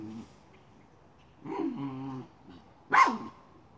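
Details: Miniature schnauzer chasing a chipmunk around a pipe: a low, drawn-out whine-like tone, a pause, then one sharp bark near the end.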